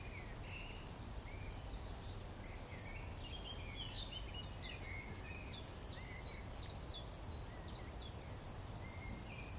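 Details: Cricket recorded on 11 June 2020, giving high, even chirps about three per second in a steady train, while small birds twitter softly in the background.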